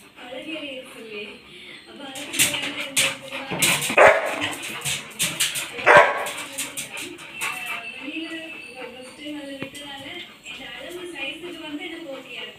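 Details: Three Labrador Retrievers whine in wavering high tones and let out sharp barks, excited because they are about to have dinner.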